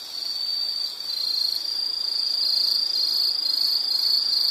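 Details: A high, ringing insect trill starts slightly softer, then steadies into a loud, even drone with faint rapid pulsing.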